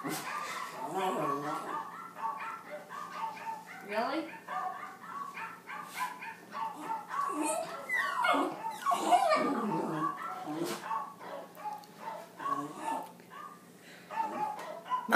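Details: A 4-year-old female Jack Russell–Chihuahua mix barks sharply in short bursts at the Wii Music dog while a woman talks over it.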